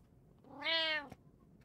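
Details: One of three pet cats (a tabby, an Abyssinian, a short-legged Munchkin) utters one short, bright meow that rises slightly and then falls, followed by a single sharp tap.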